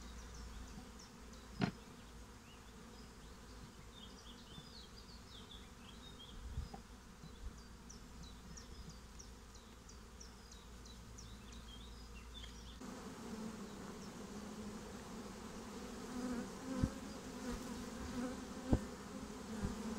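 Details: Honeybee swarm settling into a new home: a steady low droning hum with faint overtones that swells louder in the second half. Scattered high bird chirps sound in the first half over a deep background rumble.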